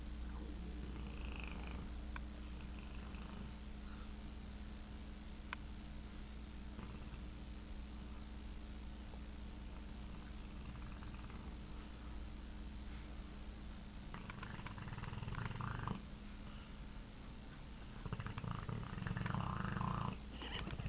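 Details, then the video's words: Tank, a pet dog, snoring while asleep and dreaming indoors: soft, low rumbling breaths over a steady low hum, with louder snore bursts near the end. "Tank snoring/dreaming"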